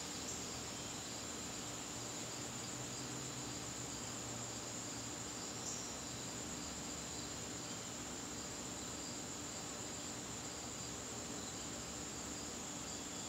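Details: High, unbroken shrilling of crickets in a garden during a September evening, the sound even and constant throughout against a soft background hiss.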